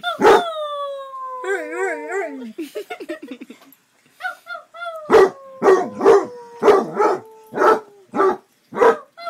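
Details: Male pet Basset Hound howling and barking: sharp barks each trailing into a long, falling, drawn-out tone, repeated roughly every half second in the second half, after an earlier stretch of wavering tonal sounds and short chattering noises.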